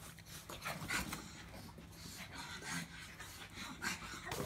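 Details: Grumbling pug producing irregular wheezy, snorty puffs and low rumbling breaths, a couple of stronger bursts standing out, set against a quiet steady background hum.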